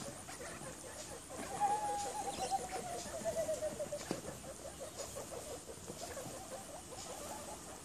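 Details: Baby guinea pigs popcorning alongside their mother Pippa and littermates Precious, Peatie, Pebbles and Petal; a drawn-out whistled squeak sliding slowly downward, then softer chirps over steady rustling and patter of small feet.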